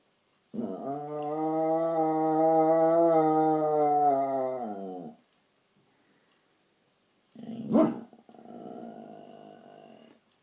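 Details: Pet dog at night making unusual noises: a long, steady, harmonic moaning note lasting about five seconds, then silence, a sharp rustle or knock, and a softer, rough, lower drone.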